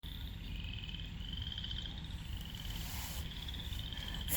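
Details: Frogs at Lake Manawa in Council Bluffs, Iowa, give steady, pulsing trills at a fairly high pitch over a low rumble of background noise.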